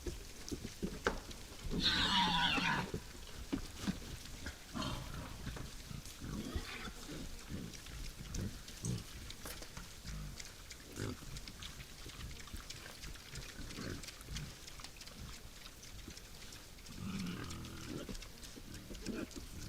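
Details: Wild boar visiting a forest feeder at night: a harsh, noisy squealing burst around two seconds in, low grunting through the middle, and another rough squeal near the end over a quiet background.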